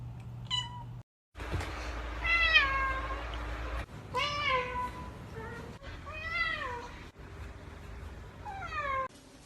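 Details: Little cats filmed as pets, meowing repeatedly: a series of high, harmonic meows, some falling in pitch and some arching, about one every two seconds, with faint music and a brief silent gap near the start.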